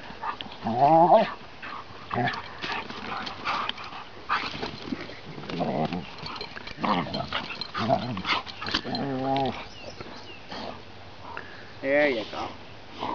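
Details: Rough play between a seven-month-old chocolate Labrador puppy and a 20-month-old Ridgeback: short harmonic yelps and whines near the start, middle and end, with scuffling and thumping throughout.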